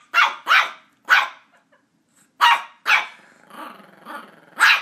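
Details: Border Terrier puppy Ollie yapping at a squeaky toy he is attacking; shrill barks come in quick pairs and singles, with a softer drawn-out growling whine in the middle before a final loud yap.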